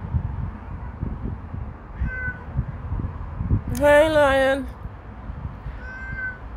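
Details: Domestic pet cat recorded on 14 July 2024, giving one loud, drawn-out meow that bends slightly downward and lasts about a second, with faint short mews before and after and a person talking softly nearby.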